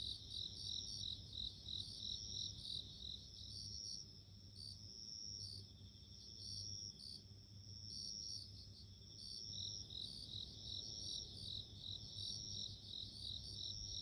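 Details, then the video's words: Insect sounds of a bell cricket: steady, high, bell-like trilled pulses about three a second, with a drawn-out high tone alongside. A low, even hum sits in the background and dips slightly midway. "The sound of nature【Sounds of insects】自然の音【鈴虫】"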